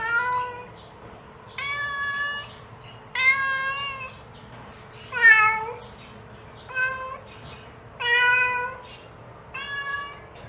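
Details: A mother cat calls her kitten in seven meows about a second and a half apart. Most are level and plaintive; one in the middle bends up and then down into a wailing cry.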